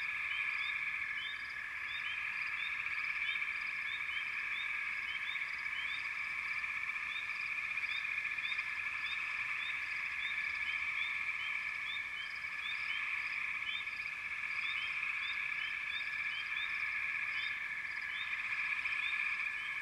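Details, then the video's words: Massed frogs keep up a steady droning trill, with many brief upward-sweeping chirps scattered over it throughout and no break in the chorus. "Frogs - Nature Sounds"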